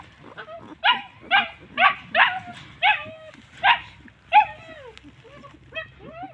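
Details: Homeless dogs, said to be hungry and thirsty, calling out: a quick run of about ten high, whiny yelps, each sliding downward, roughly every half second, with faint rumble behind.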